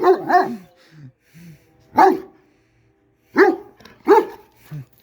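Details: A big dog throwing a temper tantrum gives about five loud, deep, harsh barks: a quick double bark, a single bark at two seconds, then two more close together near the end, with short low grumbling sounds and silence between them.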